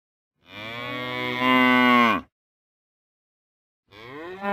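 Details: Cow moo, real recording: one long lowing call near two seconds that rises in volume partway through and drops at its end, followed after a pause by the start of another moo.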